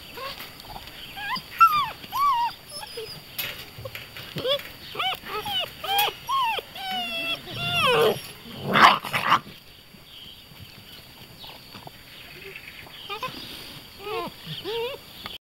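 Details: Beauceron puppies, 45 days old, from the E litter of Poussière de Lune, whelped 21.11.2010, sired by Barbak des Alexines out of Cold Wind of Walhalla's Ayla. High whining yelps bend up and down in overlapping bursts, a loud scuffle near the middle, then sparse whimpers.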